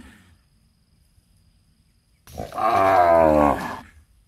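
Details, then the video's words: Cattle in a palm oil plantation while calves suckle, giving one loud, rough, harmonic-rich lowing call of about a second and a half after a quiet stretch, with soft rustling before it. "the sound of cows breastfeeding in a beautiful palm oil plantation"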